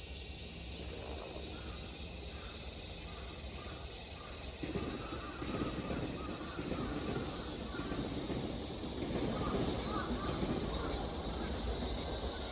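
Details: Cicadas in Japan in summer 2022: a dense, steady high-pitched drone fills the whole clip without pause, with faint rustling and low background noise underneath.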